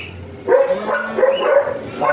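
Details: Small teacup Pomeranian stud in Bugallion, Pangasinan, yapping in a quick series of sharp, high barks after a short quiet start, each bark clipped and bright, with faint talking in the background.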